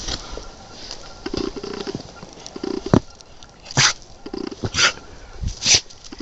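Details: Tiger, a male brindle Mountain Cur dog, recorded March 2010, sneezing to let his owner know what he wants: four sharp, noisy bursts about a second apart in the second half, over low background noise with a faint rattling hum.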